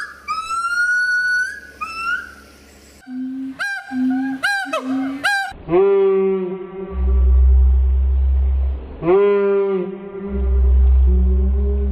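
A gibbon gives loud, tonal hoots that swoop up and down, with low rumbling background noise.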